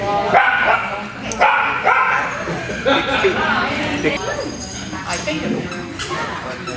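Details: Italian Greyhounds at play during a Sunday morning playdate hosted by Italian Greyhound Rescue of Denver at Mantayo Kennels, Denver, Colorado; sharp barks and yips burst out about once a second over steady human chatter.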